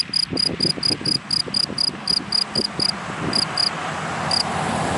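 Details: Dry-grass cricket in daytime: high chirps at about four per second for three seconds, then only a few stray pulses as a passing car's loud roar builds and drowns them out.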